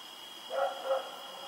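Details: Domestic dog running around at night, recorded on 7 October 2018, gives two quick mid-pitched barks about a third of a second apart over a steady high electrical whine and quiet background hiss.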